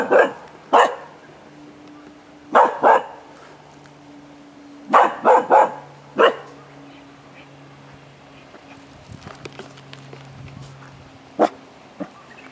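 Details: Jomon Shiba Inu dog producing sharp, short barks in irregular clusters of two or three, separated by pauses of several seconds, over a faint steady low hum; one last isolated bark near the end.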